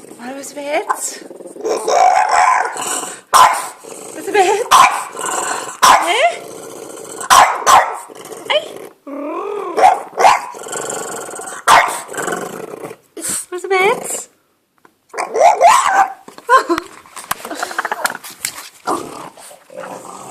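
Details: French Bulldog vocalising at birds with a long run of rough, growly bark-like grumbles and whiny yelps in irregular bursts, broken by a couple of short silent pauses, with some speech mixed in.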